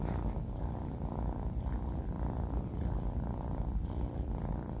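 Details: Sleeping 4-month-old kitten named Banh Mi, male, gives a steady low rattling snore, almost purr-like, with gentle rhythmic rises in loudness and no other sounds.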